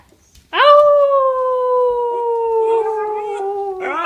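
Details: Pet dog howling along with a passing police siren: after half a second of quiet, a long steady wail sets in, slowly sliding down in pitch for over three seconds, rising again at the end; faint voices nearby.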